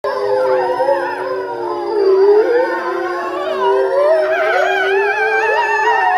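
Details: Grey wolves at Tama Zoo, Japan, filmed in November 2013, break into howling all at once; several long, wavering howls overlap and slide up and down, layered tones rising and falling across the clip.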